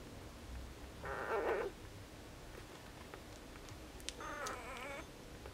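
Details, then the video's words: Four-day-old Border Collie puppies from a litter born on 29 August 2014, recorded 2 September 2014, giving two short, high, harmonic squealing cries about three seconds apart over a quiet background with faint rustling. "Border collie puppies (4 days old)"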